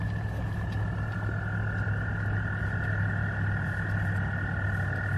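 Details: American toads in a noisy mating chorus: two steady, sustained musical trills run throughout, layered over a strong low droning hum.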